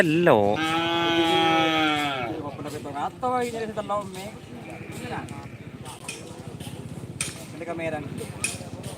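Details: Cattle at a Madurese karapan sapi bull race in East Java, Indonesia: a two-second moo, flat then dropping, followed by rhythmic thumping, chatter and a shorter call near the end.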